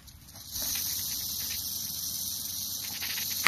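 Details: Prairie rattlesnake, Crotalus viridis viridis, recorded May 17, 2009 in Kimball County, Nebraska. A steady, dry, high hissing buzz begins after half a second and continues unbroken, with a sharp click at the end.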